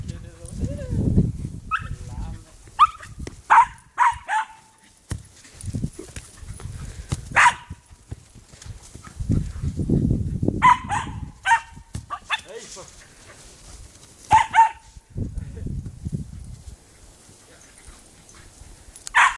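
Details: Pet Cairn Terrier Snoopy playing with a football gives sharp, high barks in quick doubles and triples separated by pauses, over bumping, rolling and low rustling sounds of play.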